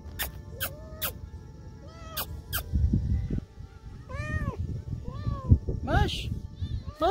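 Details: Hungry lonely female stray cat in an old park, meowing after being given food, as if saying thanks; a series of short arched meows in the second half, preceded by sharp tapping clicks, with a person's voice and low background rumble.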